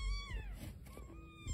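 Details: Newborn kittens with their mother, eyes just opening and hissing at times, give thin, high meows that slide downward, with a person speaking softly nearby at a Los Angeles wildlife rescue.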